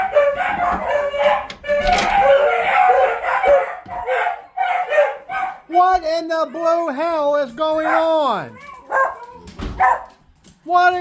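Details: Pet beagles downstairs in a home bark and bay in drawn-out, wavering notes that rise and fall, jokingly likened to a home alarm system.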